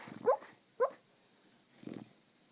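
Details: Sleeping Beagle dreaming, giving two soft rising yelps in quick succession and then a low muffled woof, each brief, in a quiet room.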